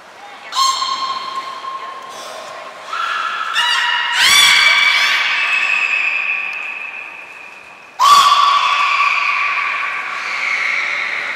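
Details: At Port of Nagoya Public Aquarium on 11 January 2021, belugas Nana, Mirai and Niko train: loud buzzy, pulsed harmonic calls with sudden onsets, held steady tones between, about four main bursts.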